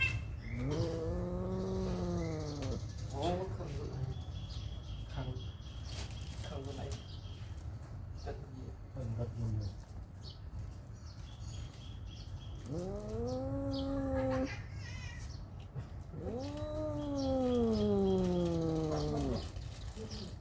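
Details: Mother cat keeping close to her newborn kittens gives three long, drawn-out meows, each rising then falling over about two seconds, spaced through the clip, over a steady low hum with scattered clicks and rustles.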